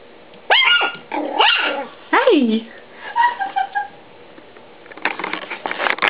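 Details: A male Papillon gives high, sliding yips and whiny barks in quick bursts while playing with a Siamese cat on Aug 9, 2011, with a person talking.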